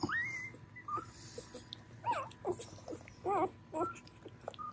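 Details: Whimpering Dobermann pups, spring 2022 litter with males such as Black Smoke, Camo Cuddler and Big Red: rising squeals, then wavering, warbling cries in quick bursts, with faint background hum.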